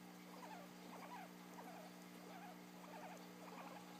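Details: Yawning guinea pig with short wavering squeaks in small clusters, roughly every half second, and a constant low hum underneath.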